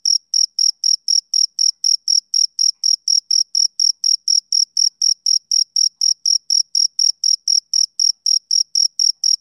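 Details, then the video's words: High, piercing pulses of a male cricket on a summer evening repeat steadily about four per second in an unvarying rhythm, with no other animals, wind or voices. "Cricket Chirping Sound Effect"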